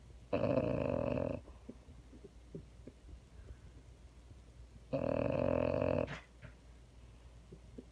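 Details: Held female French Bulldog snores indoors, giving two harsh, buzzy, roughly one-second snores about four and a half seconds apart, with soft breathing noises in between.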